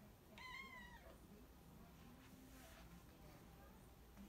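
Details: Domestic cat, said to remind of Dragon Quest and to love its father, gives one short meow that bends slightly downward, followed by faint murmuring voices and low room hum.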